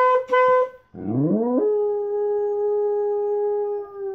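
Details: A pet dog 'singing' with a long, steady, even-pitched howl that swoops up from lower, wavering notes, after a brief harmonic tone at the start.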